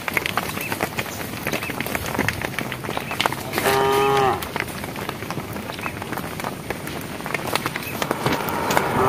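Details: One clear, level moo lasting about half a second from a cow calling the herd as cows walk a project road, surrounded by clicking hoof and shuffling sounds.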